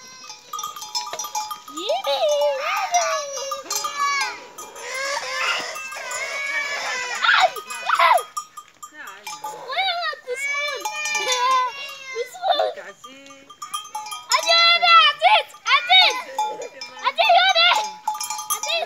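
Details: Playful, naughty goats on a rural village farm give repeated wavering, nasal bleats in overlapping bursts from several animals, with bells tinkling steadily throughout and people talking nearby.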